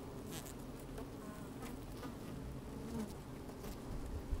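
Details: Honey bees busy inside an opened hive on a fine sunny day, recorded by a microphone slid down into the hive; a steady low droning hum with faint scratchy clicks of bees moving about.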